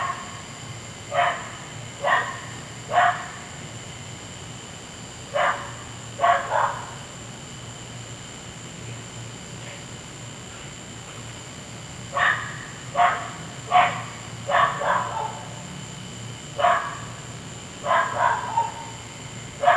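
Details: Nighttime barking from a neighbour's dog that went on for an hour: bursts of three to five quick barks separated by several seconds of quiet, with a low steady hum beneath.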